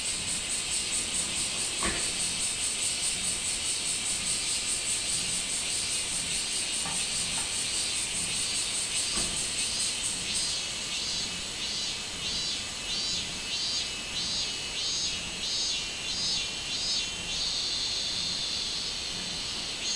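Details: Minmin cicada calling on 24 July 2016, a dense high buzzing chorus that breaks in its second half into rhythmic pulses repeated about one and a half times per second, with a few faint clicks early on.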